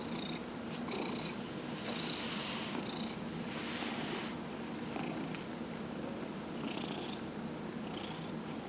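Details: Dillard, a 15-year-old cat being massaged, purrs in a steady low rumble, with soft rubbing swishes in the upper range recurring about every second.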